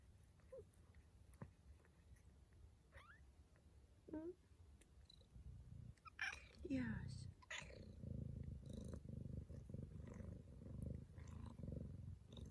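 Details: Domestic female Bengal cat purring while giving birth to her kittens early in the morning indoors. Brief human voices and small squeaks come first, then a low, even purr swells and continues to the end.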